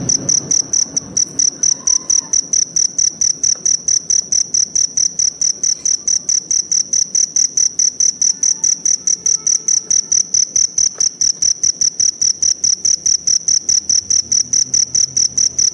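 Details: Shrill, metallic chirps from a forest cricket pulse rapidly and steadily, over two per second, throughout; faint scattered lower sounds in the quiet background.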